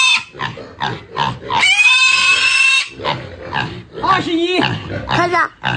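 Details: Young black pigs, raised six months on a rural Chinese farm, handled for weighing at about 20 kg; shrill, strained squeals with a long held scream in the middle, mixed with repeated human laughter and talk.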